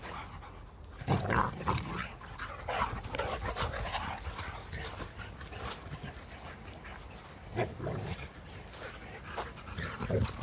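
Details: Boxer dog Jack playfully attacking a person's hand, with Blue, another Boxer, also present: rapid, irregular breathy pants and snuffles, about three per second, with louder gusty bursts and brief faint voice sounds.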